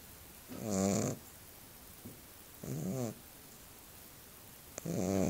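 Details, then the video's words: Small dog sleeping and snoring: three rattling, harmonic snores, each about half a second long and spaced roughly two seconds apart, with a faint airy hiss on each breath. "Snoring Dog"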